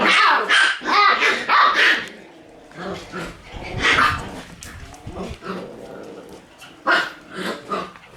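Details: Several Shiba Inu puppies in their puppy room on 1 September, barking and yapping in quick, uneven volleys, loud bursts at the start, around four seconds and near the end, with rougher growly notes between.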